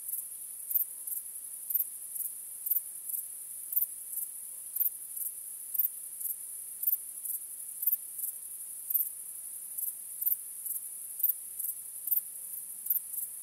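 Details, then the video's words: Night-time crickets on a starry night give a continuous thin, high trill. Brighter chirps stand out above it at a quick, fairly steady pace, roughly two per second. Nothing else is heard. "Cykanie Świerszczy 🦗 Gwieździstą Nocą 🌙 {Night Crickets Sound}"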